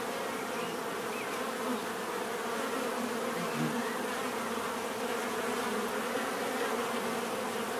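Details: Many bees humming steadily in nature, used as relaxing therapy sound; thick, unbroken droning buzz at an even loudness, with faint higher whines of individual insects passing.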